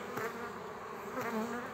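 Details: Honey bees from a frame with their queen, forming a new colony, give a steady droning hum, with brief rising whines of single bees flying close and a wavering pitch.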